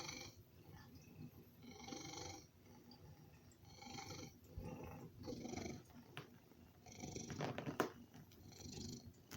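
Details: A loud purr from a male pet cat, also called a snoring cat, begging for food indoors. Rough, throaty bursts with noisy overtones swell and fade roughly every one and a half seconds, with a faint click or two near the end.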